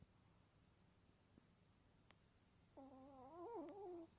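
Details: Choco, a sleeping Smooth Chihuahua, sleep talking: after quiet breathing, a soft, wavering, nasal whimper rises and falls for over a second, faint and recorded without a microphone indoors.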